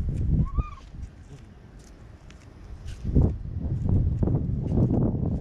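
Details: White stray kitten held in someone's arms in Okinawa, Japan, giving one short, clear meow that rises and dips, then low rustling and thumping handling noise for the rest.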